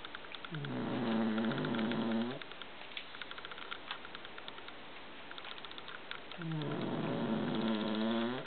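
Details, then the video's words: Two rhythmic snores from a dozing cat called Luigi, his habitual sleep sound: each a wavering, nasal, harmonic drone of nearly two seconds, separated by a quiet gap of about four seconds. "Luigi snoring as he usually does"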